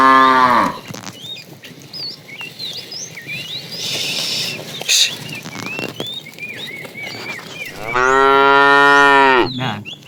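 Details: Fat cow from a tame herd being driven in the afternoon, calling the female: a loud harmonic moo near the end lasting about two seconds, a short moo tail at the start, busy twittering birds throughout.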